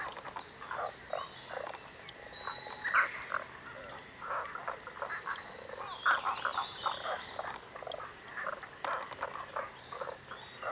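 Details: Frogs croaking in chorus: rapid pulsed, knocking croaks in quick bursts, overlapping voices repeating steadily, with faint background hiss.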